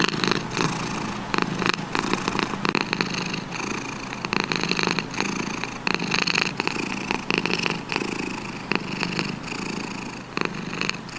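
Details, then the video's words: Long stretch of cat purring: a dense, raspy rumble with frequent brief louder pulses running steadily throughout. "Cat Sound Effect"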